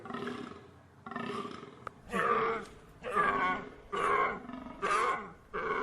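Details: Deer calling in a series of harsh, harmonic bellows roughly once a second, each short and nasal, the later ones louder and more strained than the first two.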